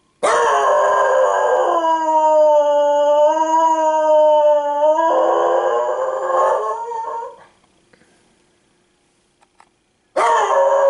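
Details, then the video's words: Piper, a female pet dog, howls in response to sirens and to a person's howling. A long, steady, wavering howl lasts about seven seconds and fades out. After a short silence, another loud howl begins. "The Howl of the Wild Piper"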